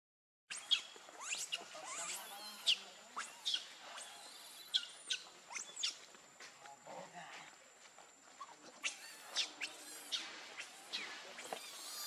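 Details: Baby monkey Lucie, very hungry for milk, crying: shrill high squeals and chirps, short and sharp, repeated roughly every half second to second, some rising or falling, over a faint background hiss.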